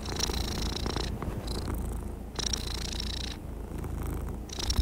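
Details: Calm cat in a relaxed mood purring, a dense low thrum broken by airy, buzzy inhale-exhale phases about once a second, ending with a small knock.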